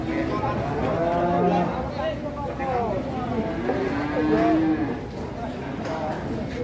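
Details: Agitated cattle coming down off a truck, moaning in two drawn-out, wavering moos, the first near the start and a longer one midway, with people talking and shouting throughout.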